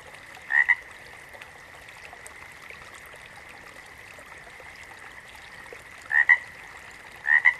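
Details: Frog calling in a natural setting: three short two-part croaks, each a quick doubled pulse, spaced irregularly with long gaps, over a steady high-pitched background hum.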